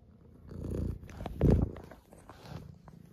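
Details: Tuxedo cat purring indoors during a morning wake-up and play fight; low rumbling purr with two louder swells, the second near the middle, and a soft laugh just after.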